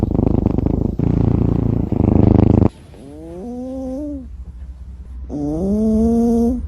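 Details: Sleeping pet cat snoring, rough pulsing rumbles in a steady run for nearly three seconds, followed by two drawn-out rising tonal voice-like sounds with clear harmonics.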